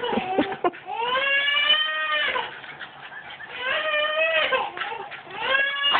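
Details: Two Jack Russell Terriers, Raven and Casper, playing tetherball: drawn-out, rising-then-falling harmonic whines and yowls come in long bursts, each lasting a second or more, with short pauses and scuffling between them.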